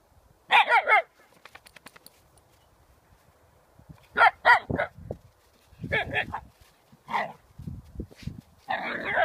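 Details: Siberian Husky Sequoia, a young female family pet, lets out clusters of loud harmonic barks and yowls in bursts spaced a few seconds apart, with quieter huffing sounds between them.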